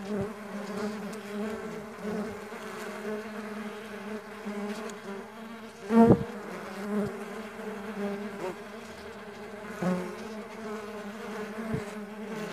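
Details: Low, continuous humming of stingless bees at a bee farm, several wingbeats overlapping into a wavering drone, with occasional clicks and one louder thump partway through.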